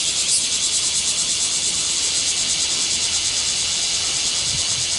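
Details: Cicadas in Japan, a swarm buzzing: a dense, steady high-pitched hiss-like drone with a faint pulsing texture, unbroken throughout, no other sounds standing out.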